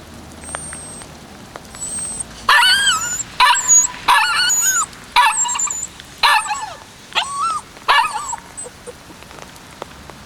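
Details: Yapping from a 56-day-old white male Kishu puppy filmed on 14 March 2020: a run of about seven shrill, harmonic barks spaced roughly a second apart, some ending in downward whining tails, after a quiet start.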